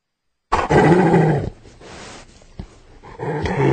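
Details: Hyena giving a deep, rough growl that starts loud, fades into breathy rasping, then swells again toward the end.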